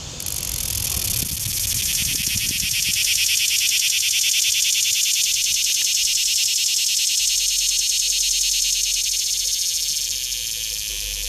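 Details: Cicada song, made by males flexing their tymbals: a loud, continuous, high-pitched buzzing drone with a rapid steady pulsing throughout, and a brief low rumble in the first seconds.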